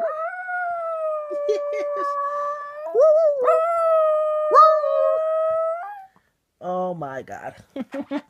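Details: Pet Shetland Sheepdog, a one-year-old male, 'singing' with two long held howls marked by wavering, gliding onsets, ending abruptly, followed by a few seconds of human speech.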